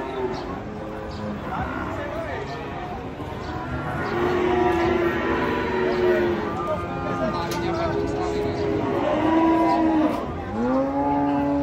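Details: A chorus of cattle during a rough unloading from a truck, one stepped on by its mate. Many long moos overlap, some steady and level, others bending down at the end, growing louder midway.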